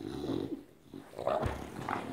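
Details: A male English Bulldog greets its returning owner indoors, excitedly going wild with joy: a low, throaty groaning growl, then brief higher whining yelps. Nothing else clear.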